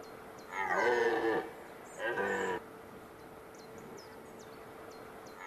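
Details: A red deer stag in a Hungarian forest in mid-September 2022 gives two harsh, harmonic roars during the autumn rut, when rival stags parade and fight.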